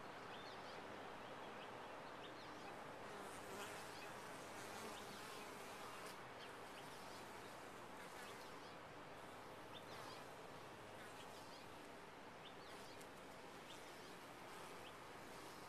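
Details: Long, steady roar of many honey bees within a top-bar hive, a thick, continuous buzz with slight swells in loudness and occasional faint higher whines.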